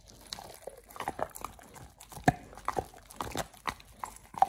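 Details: Oliang, a pit bull, bites into a raw ostrich paw, his first one. Heavy, thudding crunches and wet chomps come in uneven bursts, with a sharp crack midway.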